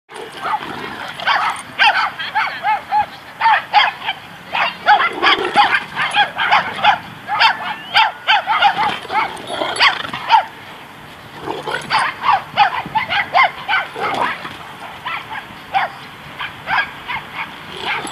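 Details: Two Great Danes, Zora and Austen, playing together at White Oak dog park in Encino, California, in March 2014 after the other Danes left. Rapid, sharp barks come in dense bursts, with a few short pauses between volleys.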